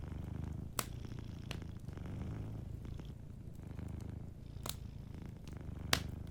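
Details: Low, steady rumbling purr from a sleeping cat, with several loud crackling pops from a warm fireplace.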